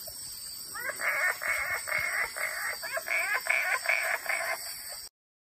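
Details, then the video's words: Wood frogs at the Claudie River, Iron Range Rainforest, Cape York, giving a fast run of loud, pulsed, nasal notes for about four seconds. A constant high-pitched insect hum runs behind them. "Wood Frogs"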